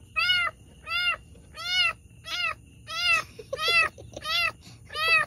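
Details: Domestic cat suffering while giving birth to two kittens: clear, high, arching mews repeated steadily about every three-quarters of a second, each sharply cut off, in a quiet indoor room.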